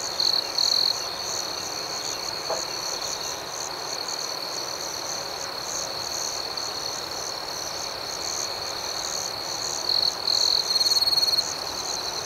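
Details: Night crickets chirping: a continuous high-pitched trill carries the whole stretch, with a brighter, louder whistled tone breaking in near the start and again after ten seconds, over a faint steady background hiss.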